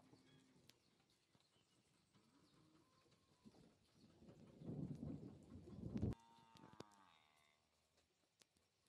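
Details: Gyr Lechero x Gyrolando heifer, 24 months old, in Chinchiná, Caldas; a low rough moo swells for about two seconds, then cuts into a brief higher harmonic tone, over background clatter and knocks.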